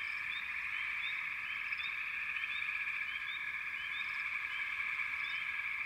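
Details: Continuous frog chorus, a thick even trill with numerous brief rising chirps from individual callers sprinkled over it from start to finish.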